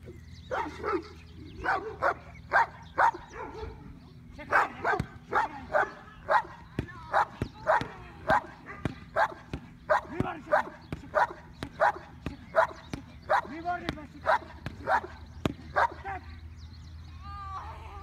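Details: Ten-month-old working Cane Corso in defence training, barking hard and steadily: short, loud, sharp barks follow one another about every half second, some thirty in eighteen seconds, over a faint low hum.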